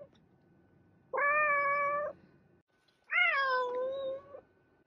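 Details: Two loud meows from a house cat about two seconds apart, the first flat and level, the second starting higher and sliding down, each lasting roughly a second; a faint constant tone runs behind.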